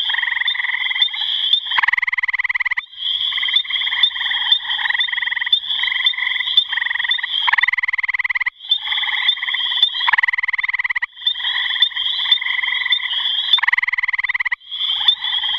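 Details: Calling gray tree frog: rapid pulsed trills, each lasting a second or more, follow one another with brief gaps across the whole stretch. A continuous high-pitched ringing tone sits on top throughout.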